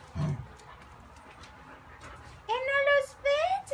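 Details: Neighbour's dog Kiefer, alone all day and wanting to play, gives two short high harmonic whines near the end after a quiet stretch, preceded by a soft thump and faint Spanish speech.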